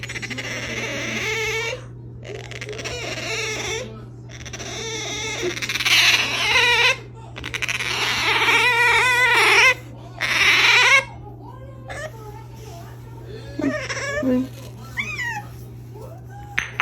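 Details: Makoton, a pet otter, calling just before eating: shrill, whiny squeals in repeated bursts of a second or more, wavering up and down, with short pauses between them over a steady low electrical hum indoors.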